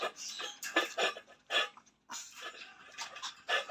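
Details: Shih Tzu puppies at feeding time, giving short bursts of squeaky, whiny yelps and snuffling noises in quick irregular clusters, with brief quiet gaps between groups of calls.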